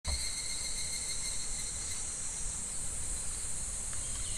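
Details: In July, cicadas drone in a steady, shimmering high buzz over the low rush of a very shallow, gently flowing clear summer stream.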